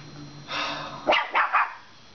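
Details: Shiba Inu, a domestic dog, acting tough toward a Chihuahua while guarding two dingo bones it won't share, making its high-pitched noise: a half-second harmonic whine, then three short, sharp yips in quick succession.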